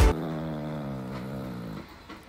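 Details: Chihuahua growling while its belly is kissed: a steady, low, rumbling growl held for nearly two seconds, then fading away, indoors.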